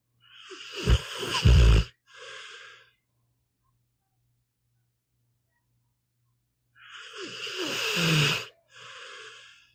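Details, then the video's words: Pit bull Meatball asleep and snoring: fluttering, rumbling inhales each followed by a softer breathy exhale, two snore cycles with a long silence between them. "One hour of a snoring dog"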